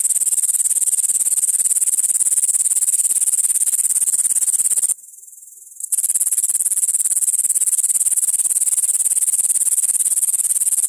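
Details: Continuous high-pitched buzzing chirr from a grasshopper, made of fast even pulses. It stops for about a second midway, then carries on unchanged to the end.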